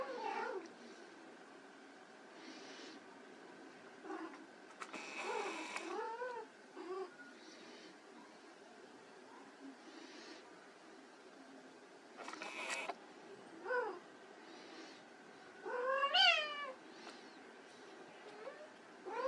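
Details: Playing white Persian kittens give brief, scattered meows, some rising and falling, between clattering knocks and rustles over nearly twenty seconds.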